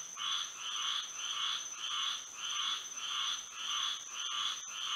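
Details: Florida frogs singing at night in moonlight: a regular train of short, raspy croaks, about two per second, alternating loud and soft, with a constant piercing high hum behind.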